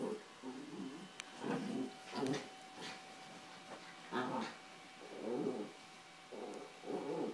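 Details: Pair of Yorkshire Terriers, Carla and Paco, wrestling over toys on a bed. A string of gravelly, grumbling growls in uneven bursts, some longer and rolling, with a few sharp clicks between them.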